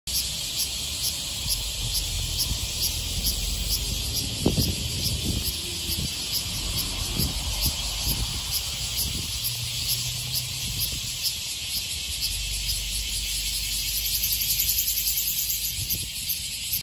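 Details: Ryukyu large brown cicada in Okinawa (the species lives from Amami south through the Nansei Islands and sings from about May–June to October): a continuous, high, sizzling buzz with a rapid, slightly uneven pulse, like frying oil, over low rumbles and soft knocks.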